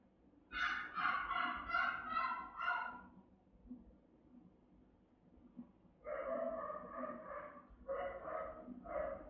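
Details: Rottweiler guarding the house, one of three dogs caught on a house camera, with a round, resonant, powerful bark. A run of rapid harmonic barks for about two seconds, a quiet pause, then a second burst of deeper repeated barks.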